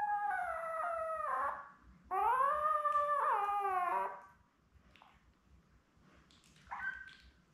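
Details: A litter of seven newborn Labrador Retrievers, born May 24, 2021, with mother Belle, indoors on a live puppy cam on 4 June. Sustained tonal whines swoop up and down over several seconds, then fade into a faint yelp and a small squeak.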